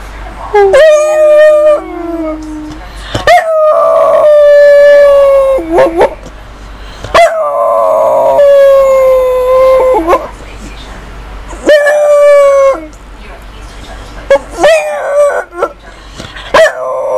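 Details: Female dog howling and 'talking' in a vocal exchange. Long, wavering, tonal howls with rich overtones, some held for two to three seconds and some short. About five bursts are separated by brief pauses. Quiet room with little background noise.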